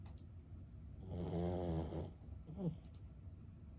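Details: A sleeping 15-year-old senior Boston Terrier snores once: a rough, low, rattling breath lasting about a second. A shorter, softer snort follows shortly after in an otherwise quiet setting.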